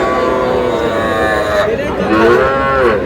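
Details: Calves, young bulls and heifers, purchased by a Faridpur farmer in Bangladesh on 1 August: layered lowing calls, steady at first, then wavering and rising moos toward the end, against a constant murmur of people.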